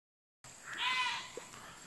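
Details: Goat being called back, giving one short bleat of about half a second with a steady, wavering harmonic tone, heard over a constant background hiss.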